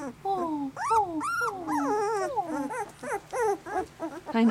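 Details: Newborn puppies, 18 days old and newly walking, from Sweetie's litter of eleven: a run of high, wavering whines sliding downward, one after another, with a woman talking softly over them.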